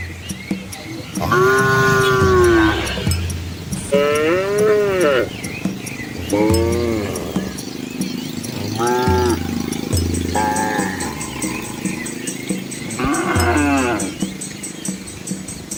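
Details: Dozens of village cows and calves move along a country road past rice fields in Asia; a series of short arched, rising-then-falling bellows repeat every second or two, interspersed with low rumbling moos.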